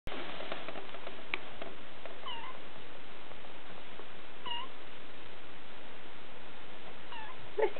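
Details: Three-week-old Siberian kittens, July 2008: three faint, short rising-falling mews spaced a couple of seconds apart over a steady background hiss.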